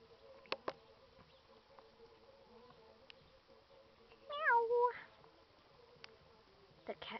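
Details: Upset female domestic cat in a fight with a male that chases her gives one wavering, descending meow amid a quiet room with a faint steady hum and a few knocks.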